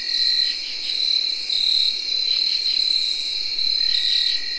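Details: A steady shrill whirring trill comes from tree crickets recorded in early October 2021. It is dense and continuous, with faint pulsing rasps from other insects rising and falling behind it.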